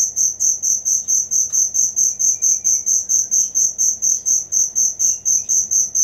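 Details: Original cricket sound for training songbirds, a clean, loud run of shrill chirps pulsing at a fast, very even rate, about three to four pulses per second, over a quiet background.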